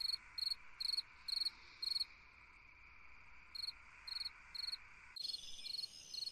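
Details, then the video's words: Cricket song on a summer night: short multi-pulse chirps repeating about twice a second, a pause of over a second, then more chirps, while the steady background insect buzz shifts abruptly near the end. "Chant d'un grillon dans une nuit d'été / Singing a cricket in a summer night"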